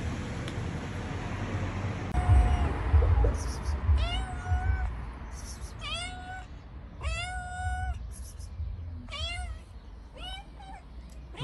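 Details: Cat that showed up at a door wanting inside, being fed cheese, meowing repeatedly: about six clear drawn-out meows, each rising then holding steady, roughly one per second in a loose run after a quiet start.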